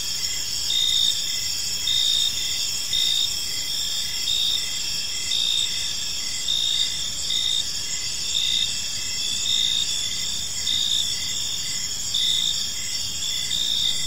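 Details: A park at evening filled with cricket chirping, bursts of high pulsed trill returning about once a second alongside a constant shrill hum, with quiet background noise.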